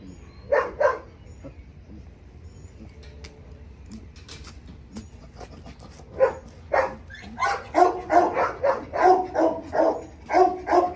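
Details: Malaki, a German Shepherd on leash during obedience training, barks twice, pauses amid rustling and clicks, then breaks into a rapid run of loud repeated barks roughly every third of a second.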